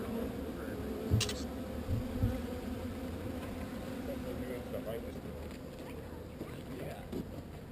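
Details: Honey bees starting to swarm while being moved, a constant low buzzing drone beneath a brief rattle and faint speech from the beekeepers.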